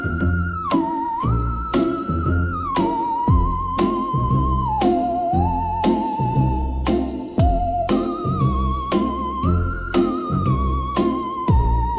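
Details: Theremin-like melody gliding over a steady beat and chords, with no animal voice present.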